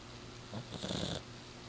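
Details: Miss Piggy, a six-year-old exotic shorthair Persian cat, snoring while asleep: one short, rough, breathy snore lasting about half a second over a steady low hum.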